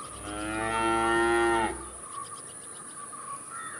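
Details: A single cow moo, bright and harmonic, swelling steadily for about a second and a half before cutting off abruptly, leaving quiet ambient hiss with faint distant sounds.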